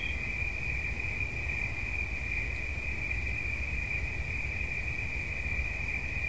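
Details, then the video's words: A single cricket's continuous, even trill, high and shimmering, never breaking across the recording, offered as relaxing sound, with a quiet low-frequency rumble underneath. "Świerszcz. Dźwięki relaksacyjne"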